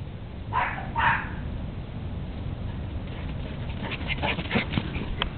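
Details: Dogs Sebastian, Napolean, Apollo and Zeus playing and running off energy in a back yard on a January morning; two short barks near the start, then scattered softer yips over a low rumbling background.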